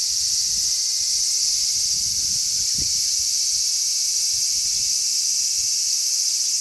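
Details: Many large brown cicadas on a zelkova tree on 3 August 2010 fill the air with a steady, sizzling high-pitched buzz like oil frying, with a strong sea breeze.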